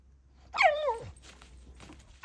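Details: Bulldog puppy throwing a tantrum, letting out a single loud, falling whine that slides down in pitch and fades, followed by quiet room noise.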